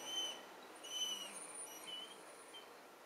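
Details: A female Weimaraner gives thin, high, whistle-like whines, asking to be let outside.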